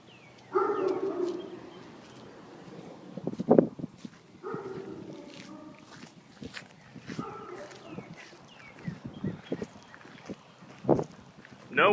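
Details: Confined in a garage and answering when called by name, a dog sends short harmonic barks and brief howling bursts through the door, spaced a few seconds apart, with a person's voice and knocking noises around them.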